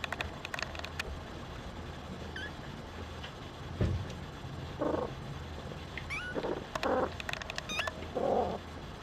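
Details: Young Singapura kitten Diana utters several brief, harmonic mews in the second half, spaced about a second apart, over a constant low hum with occasional clicks and thumps.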